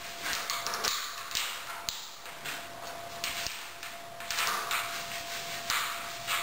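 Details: Clicks, taps and knocks of a spinning toy being batted about, with a steady high electronic whine throughout and no clear animal voice.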